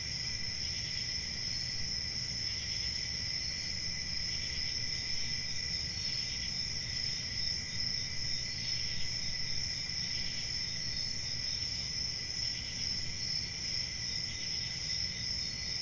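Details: Continuous cricket chorus: high, dense trilling that never pauses, layered with a fainter second band and a soft low rumble underneath.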